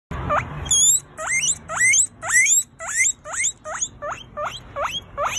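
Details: Pet guinea pig giving loud, high squealing whistles, each sharply rising then hooked at the top, repeated roughly twice a second in a steady series with brief gaps between calls.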